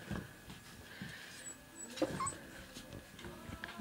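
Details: Male American Staffordshire Terrier puppy, recorded 26 September 2008: brief faint high whimpers and short yips in a small room, with a sharper squeak near the middle and soft background voices.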